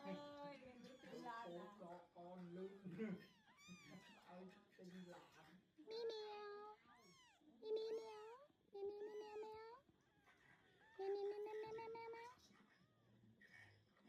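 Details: Mother cat with very young kittens, eyes just opening, on a farm, as she carries them away one by one; a run of arched, drawn-out meows about a second each, after Khmer speech and rustling early on.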